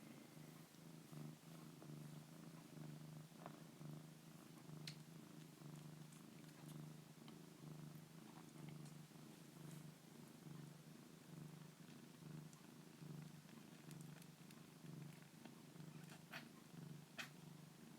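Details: A kitten (Felis catus), a foster kitten, purrs steadily, a low rhythmic rumble pulsing about once a second.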